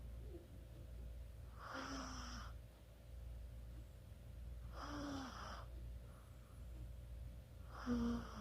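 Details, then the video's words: A sleeping Chihuahua snores, 24 October 2020: three airy, hissing breaths about three seconds apart, each with a short squeaky whistle at the end, over a steady low background hum. "치와와의 코골이"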